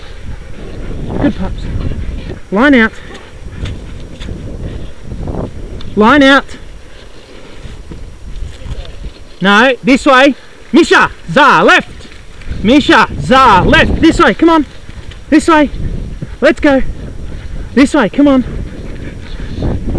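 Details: Racing sled dogs at the 2012 Wild Dog Derby in South Australia, 6 Dog heat, give dense, loud bursts of wavering yelps and howls in quick clusters, with people speaking and outdoor wind noise between.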